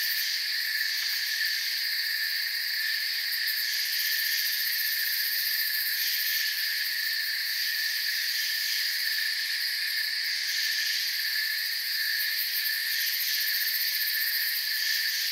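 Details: Steady forest ambience of chirping crickets, many overlapping high trills merging into a continuous shrill hum with a subtle rapid pulse in the highest layer, even volume from start to end.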